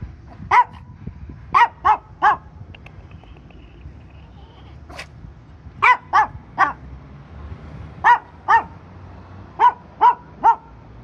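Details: Dog waiting for its owner, barking in short bursts of two or three sharp, bright barks, with brief pauses between the bursts and a low background rumble.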